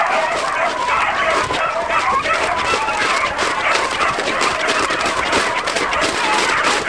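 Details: Beagles running as a hunting pack on the trail of roe deer fill the air with steady, overlapping high barks and drawn-out bays, a thick unbroken chorus from many dogs at once.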